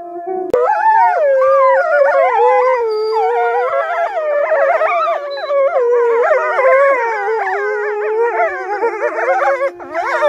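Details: Several gray wolves at Polar Park howl together, long wavering tones sliding up and down over a steady held note.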